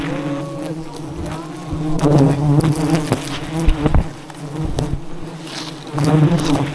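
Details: Disturbed wild honey bees humming loudly around a giant nest during a honey harvest; a thick, low droning buzz rising in bursts, with a brief high whine near the start and sharp knocks and rustling.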